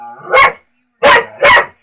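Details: Dog barking at a talking cat: three loud, abrupt barks, the last two close together, preceded by a brief whine.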